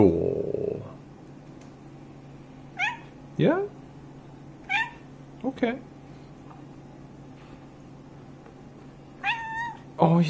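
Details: House cat in conversation with its owner indoors: brief scattered meows, mostly short and falling, spaced a second or two apart, with a louder human sound at the start and a low steady hum throughout.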